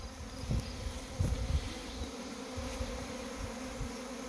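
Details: Swarming honey bees from overwintered hives: a steady, low droning hum with a few louder surges near the start, joined by faint whooshes of wind or handling noise.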